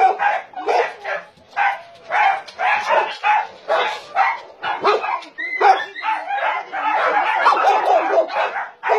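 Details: Loud barking from dogs held at a meat farm and puppy mill in Nonsan, South Korea, January 2017; steady repeated barks from several animals at once, joined near the end by a higher whining yelp.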